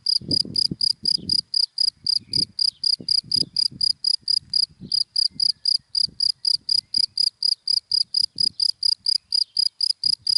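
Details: ['Cricket in dry daytime grass giving a long run of crisp, high chirps at a brisk, even pace of about four per second, over scattered low thumps and rumble.']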